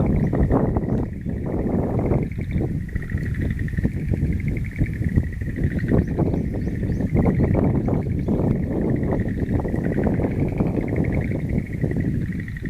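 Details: Frog chorus ringing through a mountain wildflower garden on April 11, 2013: continuous pulsed, rattling trills from several callers overlap at a middle pitch, partly covered by heavy low rumbling, wind-like noise throughout.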